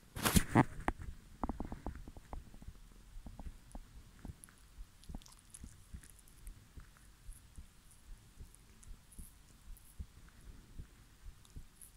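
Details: Soft crunching, tapping and rustling close up in a small room, with faint low thumps and no animal voice heard.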